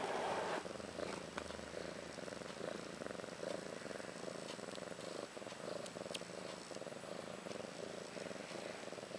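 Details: Purring from the home of Ashley, a roughly one-year-old cat who gave birth to two female kittens, Maggie and Rose, on March 30th 2013; an even, pulsing low rumble runs throughout with occasional small knocks.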